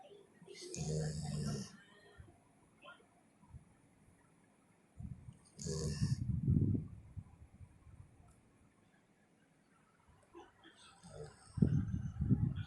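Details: A sleeping dog, lying on its owner's chest, snores loudly in deep, rough, low-pitched rumbles in separate breaths several seconds apart, while a woman speaks quietly in the background between the snores.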